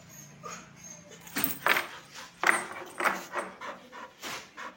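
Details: Sheru the pet dog panting: soft, noisy breathy puffs roughly every half second, some with a faint whiny tone, close to the microphone indoors, with a low hum underneath and a brief murmur of speech.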